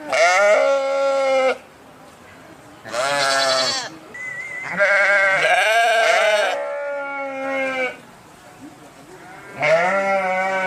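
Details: Sheep giving a series of four drawn-out, quavering bleats, each one to two seconds long with short quiet pauses between, sometimes overlapping like more than one voice calling.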